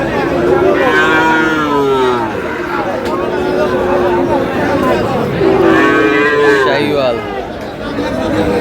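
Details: Sahiwal cattle, bull calves, at the Aftabganj cattle market in Dinajpur, Bangladesh, on 30 June; several long, droning moos, some overlapping, with constant crowd noise and people talking.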